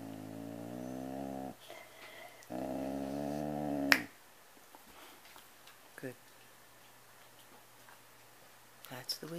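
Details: Domestic cat growling while eating a Kleenex tissue indoors: two sustained, low, rumbling growls of about one and a half seconds each, separated by a short pause, followed by a snap and a woman's voice scolding it.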